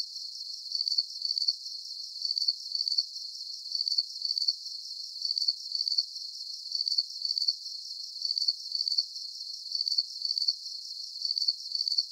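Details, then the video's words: Crickets chirping in a calming night soundscape: high, shrill pulsed chirps arriving in pairs about every one and a half seconds, steady and regular throughout, with no other sounds and no low tones. "Calming Cricket Sounds"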